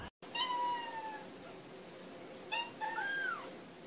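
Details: Playful baby cats give two thin, drawn-out kitten meows: a long level cry that fades, then a shorter rising-and-falling mew after a pause, over quiet room hiss.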